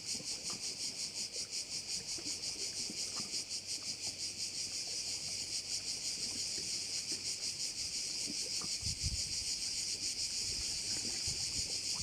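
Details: Insect chorus from crickets at a bay in Korčula, Croatia, a shrill steady hiss throbbing in quick regular pulses, steady throughout, with a short low rumble near the end.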